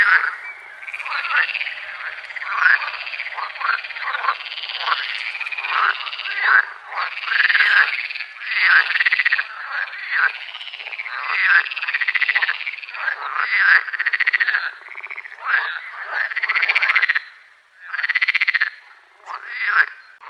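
A dense chorus of frogs giving rapid, overlapping croaks and arched calls through the night.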